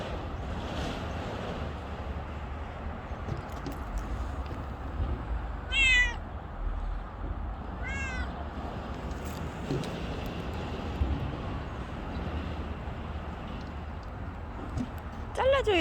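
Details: Outdoor stray cat with a few short, widely spaced meows against steady low rumbling background noise, the calls brief and separated by long quiet gaps.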